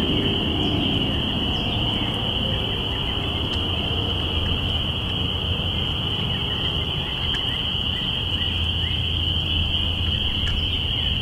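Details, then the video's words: Spring peeper chorus at the start of spring, April 5, 2017, captured binaurally: an unbroken shrill ringing of overlapping peeps over a low murmur, with a few faint sharp clicks. "Spring Peepers"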